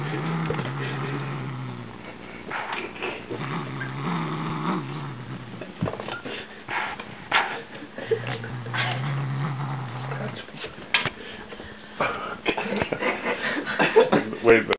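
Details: Siamese cat growling as it goes for its new bird toy: low, rumbling growls in three stretches of about two seconds each, broken up by scuffling, clattering and rustling from the play.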